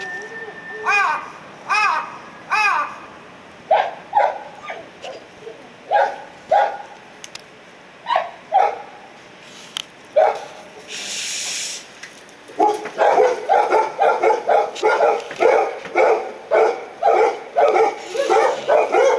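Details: Golden Retrievers, including a 237-day-old puppy, give short, bright yips and whining barks that become a rapid, steady run of barking while out on a morning walk together with other dogs on 18 December 2018.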